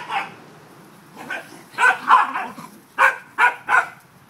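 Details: Playing corgis outdoors on an October day give a rapid run of sharp, fairly high barks, first scattered, then three loud barks in quick succession toward the end.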